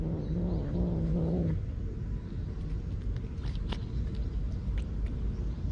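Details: A stray cat defending its meal gives one low, wavering grumble lasting about a second and a half, followed by only dull background rumble.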